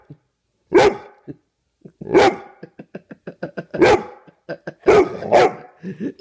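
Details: Morning barking from a Bullmastiff rousing its owner. Five loud, deep barks come every second or so, with a run of soft, short huffing sounds between them.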